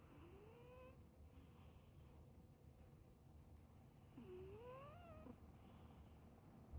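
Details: Cat in a deep sleep, snoring: faint, thin whistling tones slide upward with each breath, roughly four seconds apart, over a low, steady background hiss.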